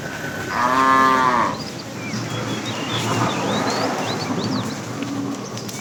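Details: Cows herded to green pasture in the morning; one strong, steady moo of about a second, followed by rustling noise and twittering birds.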